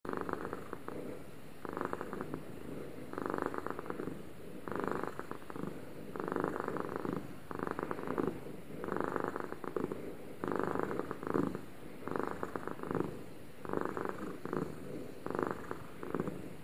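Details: Two domestic cats purring at the same time indoors: a steady low rumbling purr pulsing in regular bursts roughly every 1.5 seconds, each inhale-exhale cycle clearly separated, with no other sounds.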